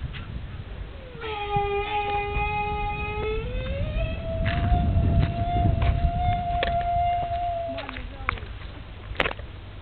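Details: A young camel cries in one long, drawn-out, harmonic-rich note of about seven seconds. It holds steady, steps up in pitch midway, then ends with a short lower note, over low rumble and scattered clicks.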